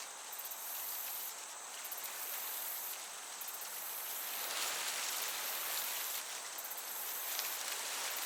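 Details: High, buzzy cricket chirps from a summer meadow, coming in spaced bursts every few seconds while a gentle breeze swells and fades in the background.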